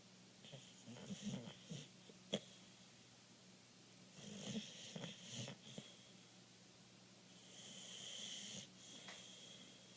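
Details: Sleeping Boxer dog named Rasta, described as acting like a suckling puppy when asleep; irregular wheezy snorts and snuffles come in bunches, then a longer breathy exhale near the end, with a faint steady hum behind.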